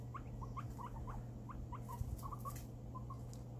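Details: Two female pet guinea pigs given an orange as a special treat; soft, short rising squeaks repeated over a dozen times at an uneven pace, over a steady low hum and light rustling.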